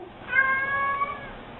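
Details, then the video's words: Domestic cat giving a single drawn-out meow lasting about a second, with a steady, slightly wavering harmonic tone and a soft ending in a quiet room. "CATS SPEAKING & making wierd noises"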